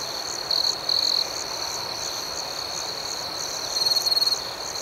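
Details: Crickets chirping at night: a steady high-pitched trill runs throughout, with a faster pulsed chorus above it. Two louder chirp bursts come near the start and another near the end. No other sounds stand out.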